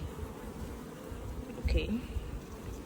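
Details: Honey bee swarm, newly caught, humming steadily while frames are shaken to keep the queen off; continuous low drone with a short louder rise of buzzing near the end and faint handling noise.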